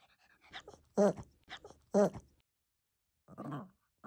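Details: Senior Maltese named Ballerina, who has lost all her teeth, makes odd non-dog sounds: two loud, tonal, word-like yelps about a second apart between softer grunts, then a low gurgling moan.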